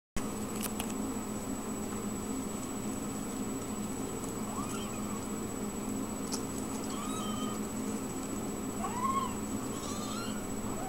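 Ragdoll kittens give thin, high mews that arch up and down, over a steady mechanical hum.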